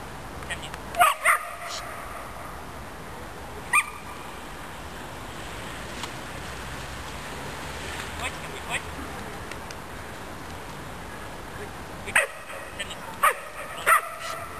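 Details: Jedi, a six-month-old female German Shepherd and German Shorthaired Pointer cross, playing frisbee in a park: a handful of short, sharp barks scattered across the stretch, with steady outdoor background noise in between.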